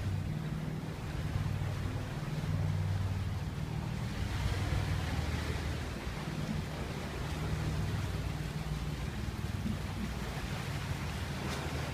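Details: Steady beach surf and wind rumble fill the recording, with no animal sounds heard.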